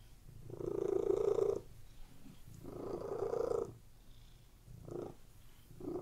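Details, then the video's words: Cats relaxing on a bed indoors give a low, grainy purr, two long rumbling swells followed by two shorter ones, each separated by a quieter breath pause. "CATS PURRING"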